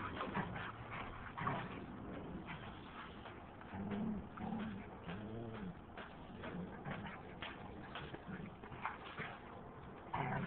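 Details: Female German Shepherd and Rottweiler dogs in a backyard fight over their owner as he walks in; low, moaning tonal growls that arch up and down in pitch, clustered mid-clip, over steady rustling and handling noise.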